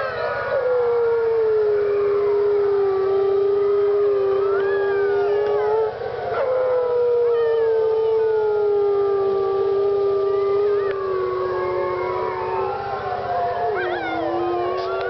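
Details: Group of howling wolves at Parc Oméga, 7 March 2013: a continuous dense chorus, one low howl dipping and rising repeatedly under many higher, wavering, overlapping howls.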